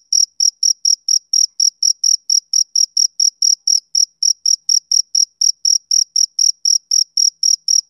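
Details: A male cricket keeps up a long, even run of high, piercing chirps, around three per second without a break. Quiet background with no other noises.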